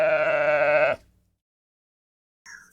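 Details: Domestic sheep: one loud, steady, wavering bleat lasting about a second with rich harmonics, followed by silence and a brief faint start of another sound at the end.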